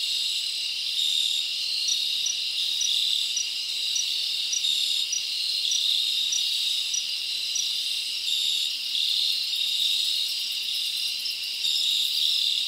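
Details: Many crickets chirp at night in a summer forest, producing a continuous piercing trill with regularly spaced short chirps on top, steady and uninterrupted.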